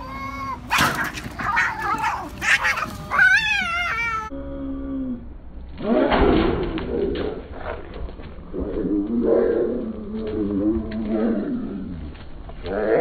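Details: Cats fighting in anger: harsh, noisy screeching and spitting bursts in the first seconds, a rising wavering squall, then a rougher, growling, rasping stretch of snarls after a brief gap.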